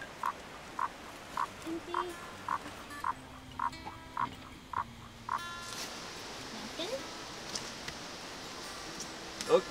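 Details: A male Baw Baw frog calls at a field site in Victoria, Australia, where zoo staff search for a female to pair with captive males. Short, mid-pitched pulses repeat about twice a second, followed by people talking.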